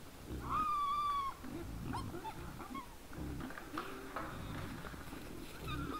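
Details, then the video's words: A drawn-out, slightly falling squeal opens this recording of wild boars from 20:17 on 17 December 2022, followed by repeated low grunts and a few short squeaks. "Nice sounds of the Wild boars"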